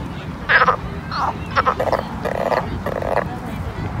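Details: Summer pond frogs producing a series of short, muffled croaks roughly every half second, fairly even in loudness, set against a noisy low-pitched background.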